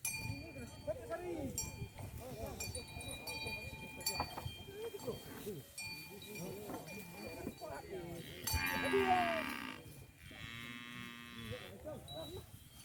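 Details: Fat, tame cows being herded as they roam rice fields near a village. Clanking cowbells and human voices run throughout, with a loud burst near the middle, then a drawn-out, low, buzzy moo close to the end.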